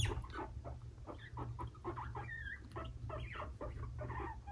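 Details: Pet guinea pig brothers Fluffy and Cocoa, five-month-old males, in a tense scuffle; harsh chattering bursts and squeals come in quick succession, one rising squeak standing out midway, low hum behind.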